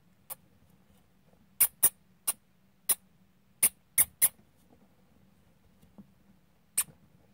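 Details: Squeaking from dwarf hamsters during play fighting: about ten brief, shrill, clicky squeaks, several in quick pairs and clusters, with quiet gaps between them over a faint low hum.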